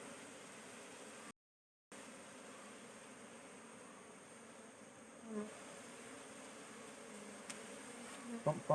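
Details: Honey bees at a kept hive as frames are inspected for queen cells, ten days after setting up: a steady, low droning hum throughout, with a short silent gap and a few faint knocks and clicks of handling near the end.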